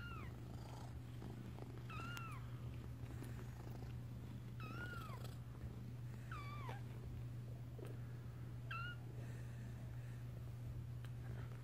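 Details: Young kittens indoors as they learn to walk, calling with bright, curved mewing cries that bend upward then drop, roughly six evenly spaced, with a constant low droning hum beneath.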